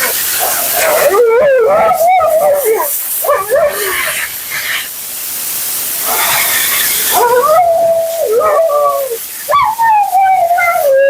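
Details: Mila, a talkative female Siberian Husky, protests during her second-ever grooming bath and blowout: wavering, yodel-like howls and whines rising and falling in pitch, several drawn-out phrases over steady hissing of running water or dryer.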